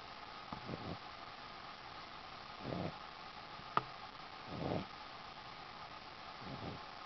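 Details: A Boston Terrier named Ziggi, asleep on a sheepskin, snores with rough, breathy rasps repeating about every two seconds against a steady hiss, with one sharp click midway.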